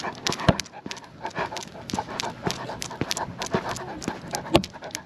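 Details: Panting from a Great Pyrenees out on a night walk alongside a Golden Doodle: fast, even breaths repeated several times a second, mixed with occasional louder clicks from walking.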